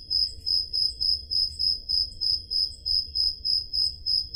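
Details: On a summer night in Peloponnese, Greece, crickets give high, ringing chirps in a regular beat of about three per second, a second fainter caller overlapping, against a low, quiet rumble; made with a portable digital recorder.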